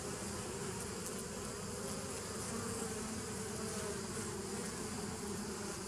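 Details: Steady droning of bees, recorded 27 September 2018, with a low, even buzz and soft higher hiss holding level across the clip.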